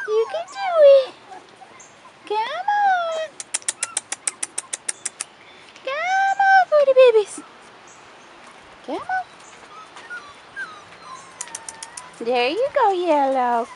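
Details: Young Rottweiler pups, four and a half weeks old, on their first outing outdoors, giving bursts of high arched whining yelps every few seconds, one sharp upward squeal near the end, with quiet gaps and human voices between.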